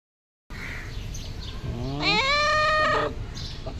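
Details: Pet cat asking its owner for food: one long drawn-out meow that rises, then holds steady for about a second before ending. Faint steady background hum.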